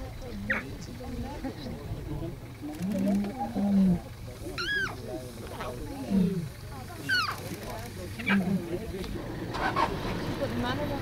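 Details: A two-month-old African lion cub with its mother in the Masai Mara, Kenya, calls in a run of brief, throaty mews rising then falling in pitch, people speaking quietly between calls.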